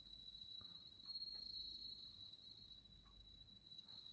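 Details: Bell crickets (Meloimorpha japonica), kept at a pharmacy in Date, Hokkaido, Japan, sing a clear, high, steady ringing trill on 27 September 2017, near the end of their season.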